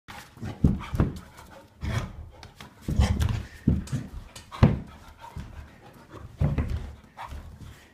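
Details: Chocolate Labrador puppy, four and a half months old, indoors during a burst of wild play: low rumbling growls and huffing grunts in irregular bursts, with scuffling and thumping of movement throughout.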